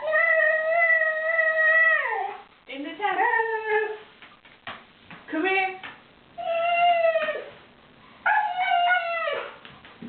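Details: Refusing a bath, the Siberian Husky Wolfie complains indoors. Sustained, musical howl-moans hold steady, then drop away, and are followed by quicker, broken yodels. Bits of human speech come between the cries.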